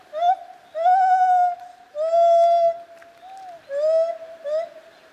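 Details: White-handed or lar gibbon, kept at Zoo Opole, recorded in 2015. Loud, sustained tonal hoots with a pure, slightly wavering pitch are broken by short pauses. Each note lasts up to a second, and several swell then bend upward at the end.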